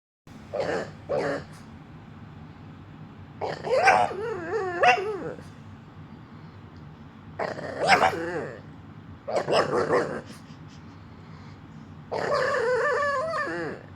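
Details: Female pet dog keeps making noise after being told to be quiet: five bursts of wavering, harmonic whine-growl vocalizing, some rising and falling like talking, with quiet pauses of one to three seconds between.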